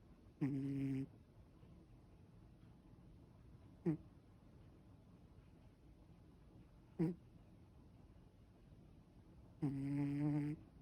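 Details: Ragdoll cat snoring while relaxed indoors: low, drawn-out harmonic snores, two longer ones about half a second each near the start and end, with short soft breaths between, quiet room otherwise.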